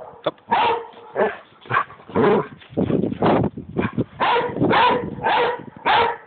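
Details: Pet dog barking and yowling in a rapid, irregular series of about a dozen harsh barks and howl-like cries over six seconds, over a steady background hum.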